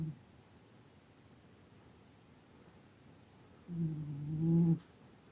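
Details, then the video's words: Soft droning snore from a sleeping cat: a brief tail of one breath at the start, long silence, then a steady low buzzing intake lasting about a second near the end. "Snoring Cat"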